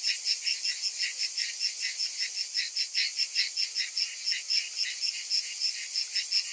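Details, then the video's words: Cicadas in summer, a shrill pulsating buzz with beats coming in uneven surges, a high ticking layer fading out midway and returning near the end. "Cicadas in Summer"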